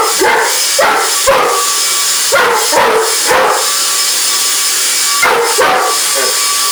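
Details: An English Mastiff reacts to a vacuum cleaner with roughly eight abrupt barks, mostly in pairs or triplets, with a pause before the last two. The motor's constant broad hiss runs underneath throughout.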